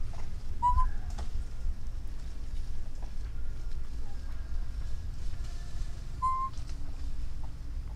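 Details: Orphaned baby monkey calling for its mother: two brief, pure whistled notes, each slightly rising then falling, spaced about five seconds apart, with a low wind-like rumble throughout.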